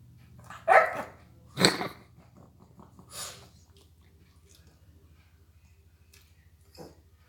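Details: Mia, a pet dog nicknamed Garbage Disposal who never gets enough food, 'talks' while begging: a tonal, whining howl, then a sharp bark-like burst and a softer third call within four seconds, over a steady low hum, then near quiet.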